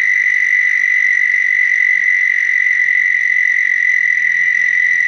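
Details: American Toad breeding call from Ontario, a species that breeds mid April into late May in flooded pools: one long, steady, high musical trill held at an even pitch and volume for the whole span.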